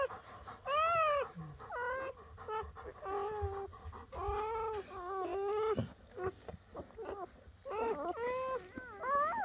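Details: Newborn German Shepherd pups, part of Betty's litter of ten born across one night, cry in bursts of short, bent whines. The calls come in quick runs with brief quiet gaps.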